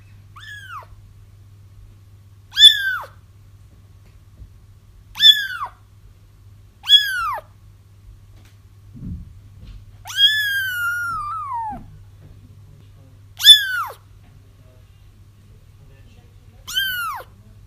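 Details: Kitten cries meant to lure a feral mother cat into a trap: high, arched, harmonic-rich mews, about seven spaced a second or two apart, one longer descending wail near the middle, over a steady low electrical hum.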